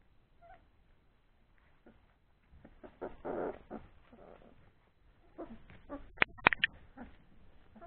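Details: Three-week-old Old English Sheepdog puppies at play after feeding give soft whimpers, then a rough, growling scuffle of noise, followed by more whines and a quick run of sharp clicks.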